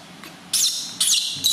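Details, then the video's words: Newborn baby monkey crying very loudly during its first bath given gently by its new mother; three harsh, high screeching bursts, each lasting about a quarter second, after a quiet start. "First Bath [Cry Very Loud] Newborn Baby Monkey Get Bath Very Softy By New Mom"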